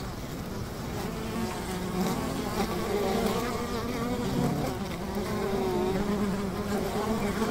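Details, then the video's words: Honey bee hive beside a river: a dense, steady droning hum of many bees, with low wavering tones that swell and fade slightly over several seconds and a soft hiss behind. "Honey Bee ASMR - 150 Hz Buzzing Bee Hive by the River"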